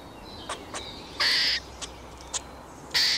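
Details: Squirrel giving two harsh, rasping bursts, each about a third of a second long, with scattered short sharp ticks before, between and after them against a quiet background.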